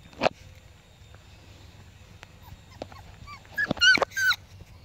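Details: Five-week-old Pomsky puppies playing with a five-week-old Husky puppy: after a quiet start with a few clicks and taps, a burst of high, whiny yelps and squeals bends up and down near the end.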